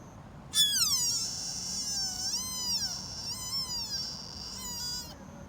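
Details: Sika deer fawn calling in Nara Park, Japan: a loud, high bleat sliding steeply downward, followed by several wavering, rising-and-falling whistled cries over about four seconds, with a faint low background hum.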